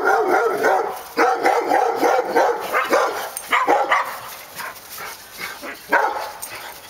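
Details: Dogs on Park Drive giving rapid, irregular barks, several per second at times, mid-pitched and harsh, with brief pauses between runs and a light background hiss.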